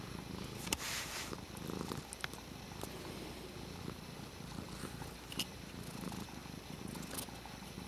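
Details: Pet cat at play with a water bottle lid, purring in a continuous low rumble, broken by sharp clicks and rattles of the plastic lid being batted about.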